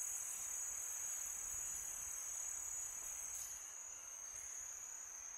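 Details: Crickets at night in summer, a bright continuous high trill with fainter overlapping callers, the chorus easing slightly toward the end amid gentle wind noise.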